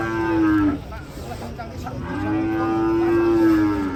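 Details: Cattle giving two long, even moos with a brief noisy pause between them, the second held level for well over a second before falling away.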